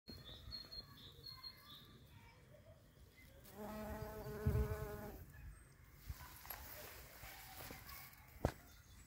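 A shrill carder bee passes with an even, reedy buzz, higher and thinner than most bumblebees, lasting under two seconds. Distant birds chirp softly at the start, and a sharp click sounds near the end.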